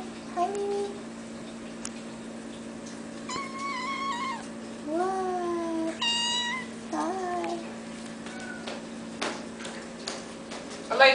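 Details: Sphynx kittens meowing indoors: a run of short, wavering, harmonic-rich mews, some rising and some falling, spread across the middle of the recording over a steady low background hum, with a few clicks and a bump at the end.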